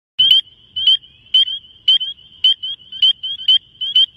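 A frog gives short, high, chirping notes, repeated roughly twice a second over a steady ringing drone.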